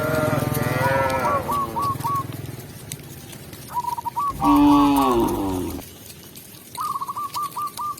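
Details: Tame cows heading into their pen in rural village life utter a long moo, pause, then another loud bellowing moo, while rapid repeated chirps sound throughout.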